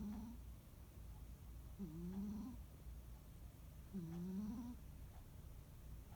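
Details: Rescued cat Muneharu snoring during a quiet holiday afternoon nap: soft, low nasal tones that rise slightly and return roughly every two seconds, with quiet breathing between snores and a faint hum in the background.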